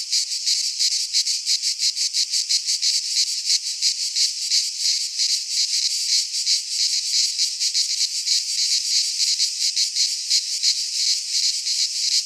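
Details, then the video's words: Greek pine-forest cicadas in midsummer produce a relentless, sizzling high drone made of rapid throbbing pulses, even in volume from start to finish, free of other noises. "Cicadas singing in midsummer - Nature sounds from the Greek fauna - Sounds of cicadas"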